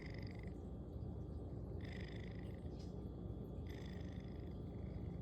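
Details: Sleeping cat snoring loudly; a steady low rumble underlies soft, raspy breath sounds that return in a regular rhythm about every two seconds.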